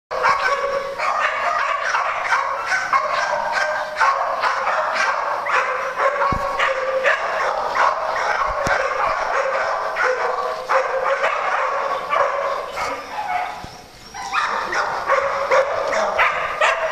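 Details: Dogs at playtime on a farm give a dense run of overlapping yips and barks, rapid and continuous, with a short lull near the end.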